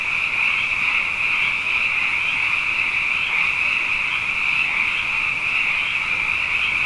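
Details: Abundant frogs calling at night after two wet years in a row, a dense unbroken chorus of overlapping high trills merging into one steady shimmering drone, with no gaps and no other clear sounds.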